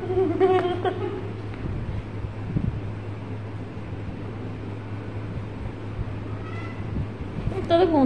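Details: Playful pet cat meows briefly at the opening and again at the close, each a short bent harmonic cry, separated by quiet room hum and faint voices.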